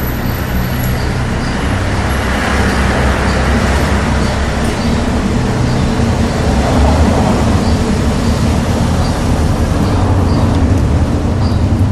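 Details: Steady road traffic rumble with passing vehicles and engine noise throughout, no animal sounds present.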